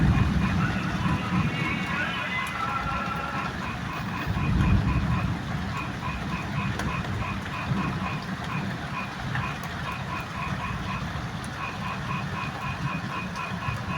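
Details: Frogs call joyfully in a steady chorus of quick, repeated croaks during heavy, rumbling rain, with thunder and lightning overhead.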